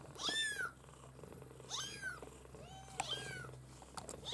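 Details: Maine Coon litter kittens crying with high, bright mews, three main arched calls about a second apart plus small clicks, over a low hum.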